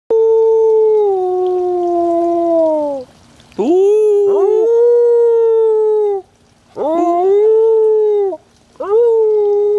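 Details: Border Collies Molly and Panda howling: long, steady, tonal howls with rich harmonics, the first sliding slightly downward over three seconds, followed by shorter rising-then-level howls separated by brief pauses.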